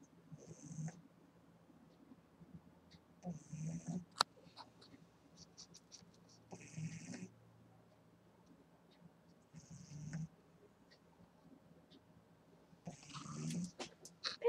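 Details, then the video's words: An 8-week-old female Boston Terrier puppy snores softly while asleep, a breathy, rumbling snore about every three seconds. "Boston Terrier Puppy Snoring"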